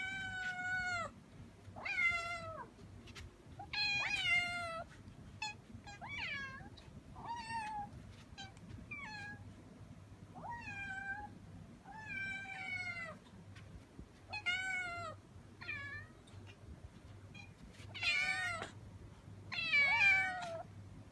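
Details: Five young kittens in high excitement at feeding time, meowing almost continuously: shrill, harmonic cries, many overlapping, several per second in bursts, with a faint low hum behind them.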